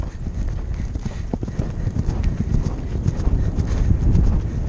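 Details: Percheron on a double-clear Novice cross-country run at The Horse Park of New Jersey Horse Trials, recorded by helmet camera: rapid irregular galloping hoofbeats, roughly three to four per second, under heavy low wind rumble.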